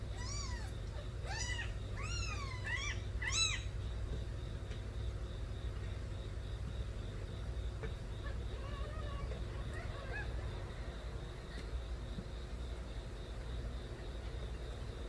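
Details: Young offspring of the stray cat Nabi cry in a burst of about six loud arched meows during the first few seconds. Fainter scattered mews follow over steady low background noise.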